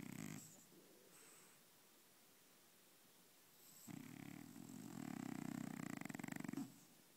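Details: A sleeping French Bulldog, dreaming; a brief snort, then a quiet pause, followed by a longer rattling, fluttering snore that swells and fades over about three seconds.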